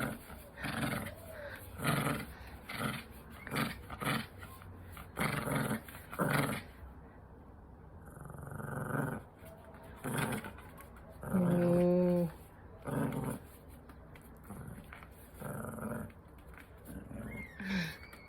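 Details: A pet dog growls in a rapid run of short, rough bursts, then gives longer rumbling growls, while a person talks and vocalises alongside and faint music plays.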